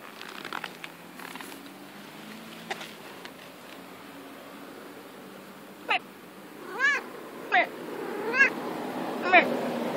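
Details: Domestic cat playing in the grass, giving a run of five short, high, chirping meows in the second half, each a quick rising-and-falling chirp, over a steady hiss of background noise, with faint softer sounds earlier.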